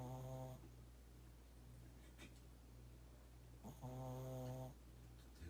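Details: Snoring Shih Tzu: two drawn-out, low buzzing snores, each under a second long and about three seconds apart, over a steady faint hum, with quiet breathing between them.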